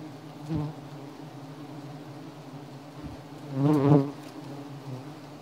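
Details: Giant honey bees (Apis dorsata) disturbed during a honey hunt: a steady, low droning hum with layered tones runs throughout, broken by two short bursts of men talking nearby.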